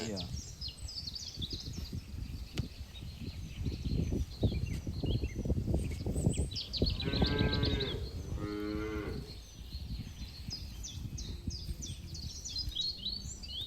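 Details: Grazing farm cattle in a green field give two close moos in quick succession midway, over a noisy background of rustling, low rumble and many high twittering bird calls.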